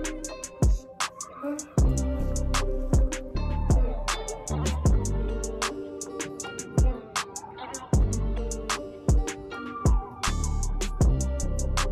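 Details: Hip hop music plays throughout, with a steady thumping beat and plucked string notes.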